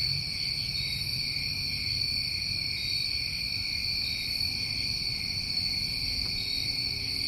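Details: Dense, ceaseless trilling of New England crickets on a summer night, high bright tones held at steady strength from start to end, over a gentle low rumble.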